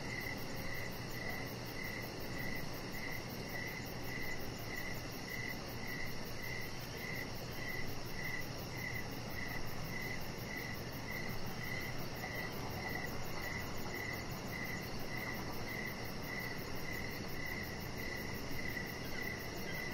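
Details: Crickets chirping outdoors in the evening beside a deck where a chihuahua puppy named Rocket lies; steady repeated chirps pulse roughly every half second over a constant low hum and faint high-pitched ringing.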